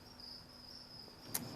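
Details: Crickets on a cricket farm in Ankeny, Iowa, housed in rearing bins and racks, give a steady, high, shimmering trill at one pitch with a brief click near the end; chirping comes from males.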